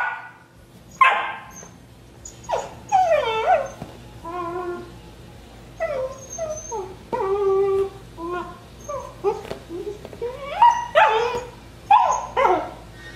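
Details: Rhodesian Ridgeback puppy Juno, 12 weeks old, indoors begging another dog, Nixie, for a rawhide: a run of high, wavering whines and squeaky whimpers with bending pitch, some short yelps, arriving in bursts with brief pauses throughout.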